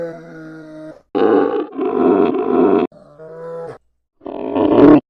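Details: Polar bear vocalizing: a steady, even-pitched moan, then two rough, loud roaring blasts back to back, another tonal moan, and a final harsh roar after a brief pause.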